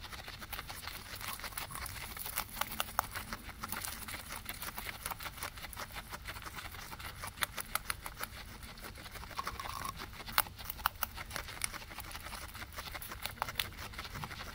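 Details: Two guinea pigs eating grass, captured on a ZYLIA ZM-1 microphone array; dense, rapid crunching and crisp clicking bites continue steadily throughout, with a soft low background hum.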